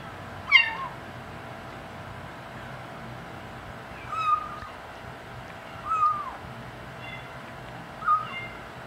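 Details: A five-week-old kitten chatters while eating the big cats' dry food, giving four brief bent mews, the first sharp and bright, the rest softer and falling, spaced a couple of seconds apart over a low hum.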